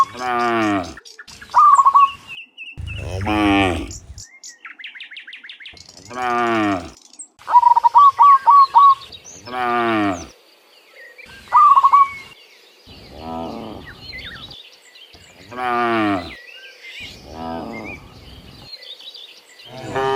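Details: Cows coming back to the pen from the field in the morning moo repeatedly, each deep, wavering moo lasting about a second. Several animals call in turn, with scattered high chirps between them.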